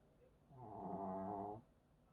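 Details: Maltese dog snoring in contented sleep after secretly eating two sausages from a bag; one drawn-out, buzzy, harmonic-rich breath lasting about a second in a quiet room.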